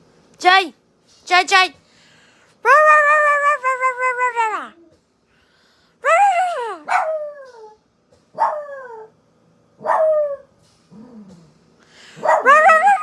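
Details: A pet dog, female, responds to her owner's strange noises with a run of howls: one long wavering wail, then several short descending yowls spaced a second or two apart, mixed with quick human yips and calls.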